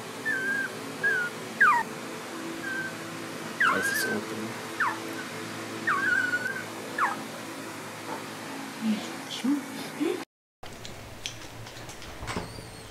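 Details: Border collie puppies, between birth and two months old, make a series of short high squeaks. Each one rises and then drops, roughly once a second, with soft rustling and a brief break near the end.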